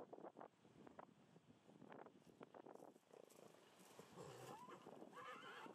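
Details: Belgian Draft horse, a top mare named Freya van 't Bos with her playful young foal Imke van 't Bos; a quiet, wavering whinny with harmonic bands rises near the end, after scattered hoof clip-clops and soft thuds.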